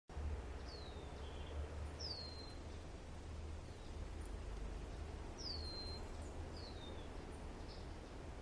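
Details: A male Alston's singing mouse (S. teguina) sings a very high, rapid trill of repeated notes over a steady low rumble while a female listens.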